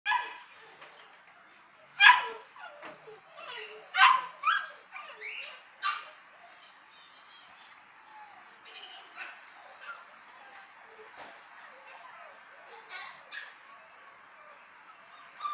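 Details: Female Jack Russell Terrier in a pet shop, giving high yips and short barks in a quick cluster around two to six seconds, then fainter scattered yelps from other animals in the background.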